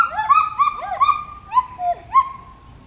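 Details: A pileated gibbon gives a series of clear whistled hoots, each swooping up then sliding down, spaced roughly every third of a second, with a few wavering notes and a final rising whoop; little else audible.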